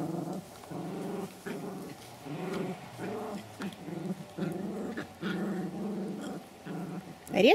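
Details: Pomeranian from a kennel in Kyiv, indoors, growling steadily in a low rough rumble broken into short pulses, with gentle female speech over it.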